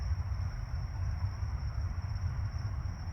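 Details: Only a steady low rumble like a passing vehicle or train is heard, with a faint constant high whine and no animal calls.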